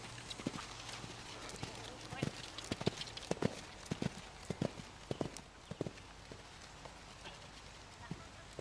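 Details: Hoofbeats of a seven-year-old Belgian Draft and Quarter Horse cross, 15.3 hands, an experienced fox hunter: sharp irregular thuds, roughly a hundred a minute, fading after five seconds, with faint speech and rural background noise.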